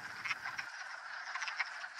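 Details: In March, hundreds of wood frogs thawed from winter head to vernal ponds in Mt Tom forest, western Massachusetts, to breed, forming a dense chorus of overlapping duck-like clucking croaks, with a faint low rumble at the start.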